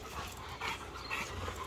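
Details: American Bully named Akin during focus training, breathing in soft, quick pants, faint breathy puffs in a quiet room with low background hum.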